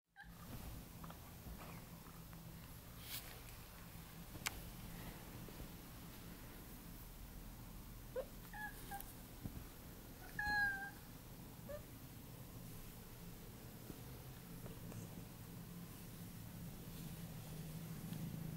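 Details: An 8-month-old male Siberian (Neva Masquerade) cat keeps up a loud, deep, even purr, a low vibrating rumble with no breaks, as it begs for cuddles, with a brief higher chirp near the middle.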